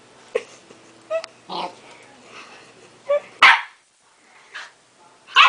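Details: Pet dog named Baby barking at his own reflection in a mirror, taking it for another dog; scattered sharp barks with uneven pauses, a few louder bursts near the end, quiet background between.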